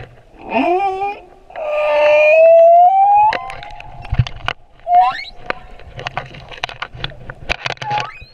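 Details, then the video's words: Male humpback whale singing off Moorea: a harmonic moan sweeping upward, then a long sustained tone rising slightly, and a short higher whistle, over a steady underwater crackle of clicks and snaps. "Baleine à bosse - le chant du mâle"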